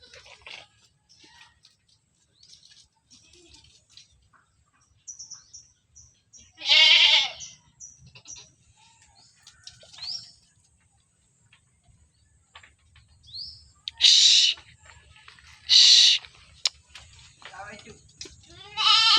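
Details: Goat in its pen, several short, high, nasal bleats scattered through the recording, one near the middle and a cluster of three toward the end, over faint rustling and a steady high hiss.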